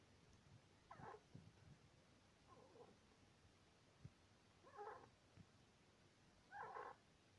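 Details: Male Syrian hamster Sweetpea, aged two years two months, squeaking while sleeping: four short raspy bursts at uneven gaps of roughly one and a half to two seconds, with soft background hiss.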